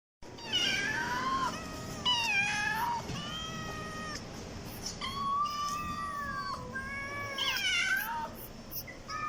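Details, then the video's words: Domestic cat meowing, from a compilation of kitten and cat meows used to attract cats; several drawn-out, harmonic meows that rise then fall, with short gaps between, over faint background hiss. "5 kitten and cats meowing sound effect compilation| cat meowing to attract cats"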